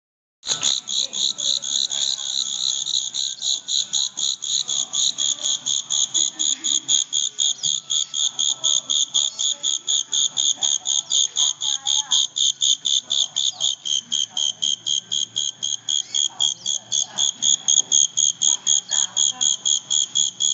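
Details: Chinese giant cricket kept as a pet in Xi'an; loud, steady high chirps repeated about four times a second, evenly paced throughout, with faint voices in the background.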